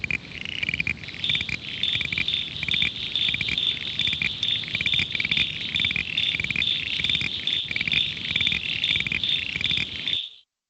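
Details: Common eastern froglets (Crinia signifera) give high, insect-like creaks, some single, others rapidly repeated series, many callers overlapping in a steady rapid chorus around Adelaide; often mistaken for insects.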